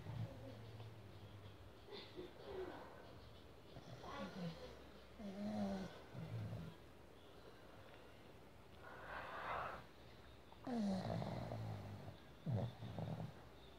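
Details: A pug snores with low, rasping snorts every couple of seconds while falling asleep in its owner's hand.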